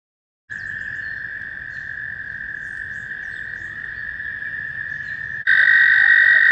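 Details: American toads calling in mating season on a warm May day at a shallow pond near Warbler Bridge, Wehr Nature Center; a long, steady high musical trill holds throughout, with a second trill joining louder near the end.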